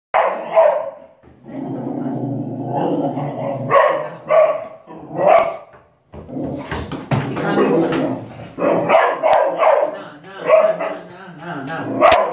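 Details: Dog barking while protecting a child; repeated sharp barks in bursts with short pauses, mixed with other noisy sounds.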